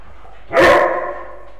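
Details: Male Old English Sheepdog playing together with a Tibetan terrier; one loud, sharp bark that rings briefly and fades, with quiet before and after.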